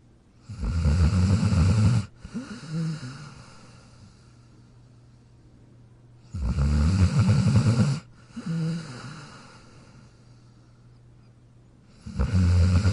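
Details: Sleeping in his dog bed, Jack the dog snores in a slow cycle: a loud, low rattling inhale snore about every six seconds, each followed by a softer whistling exhale, with a steady background hum.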